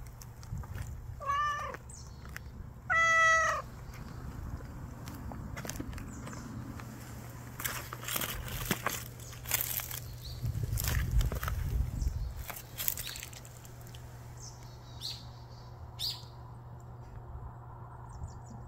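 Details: Street cat lying in wait for a chance to eat. A faint meow is followed by a louder drawn-out one, then a long stretch of rustling, crackling and handling noise with a low hum.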